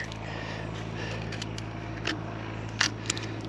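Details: Low mechanical hum with scattered clicks, scrapes and crackles, like work on a machine indoors; no animal voices.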